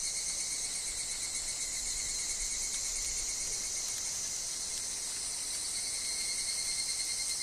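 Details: Higurashi (evening cicada) in a forest, a thick, even, high-pitched buzzing chorus with slight pulsing and a thin lower whine underneath.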